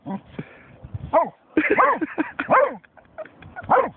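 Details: German Shorthaired Pointer barking at a dead seagull, scattered harmonic barks mixed with a person speaking over them.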